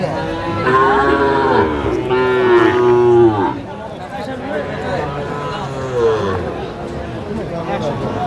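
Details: Several hoarse, ridged moos from Sahiwal bull calves at a busy Kurigram cattle market, Bangladesh, March 2025, clustered in the first three seconds, with a fainter call near six seconds amid crowd noise and music.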